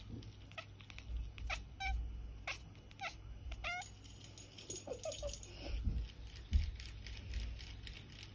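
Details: Percy the cat chirps while hunting for godzilla: short, bright, clipped chirps scattered through the stretch, some in quick pairs, over a low steady hum and soft household rustling.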